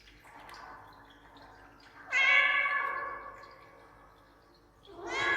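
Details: Domestic cat appealing for something, recorded indoors with an echo effect added; a faint murmur, then a loud, drawn-out harmonic meow lasting about a second that slowly fades, and a second strong meow begins near the end.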